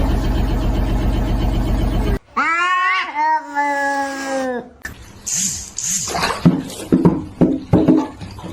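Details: Domestic cat from a funny cat compilation giving one long, drawn-out, wavering meow that rises and then slowly falls. Buzzy, music-like noise comes before it, and clattering, knocking sounds follow.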